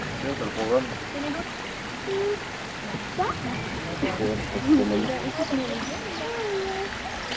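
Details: Asian small-clawed otters squabbling at Zoo de Pessac: short high squeaks and chirps, some rising and falling in little whistled arcs, scattered through a steady rush of running water.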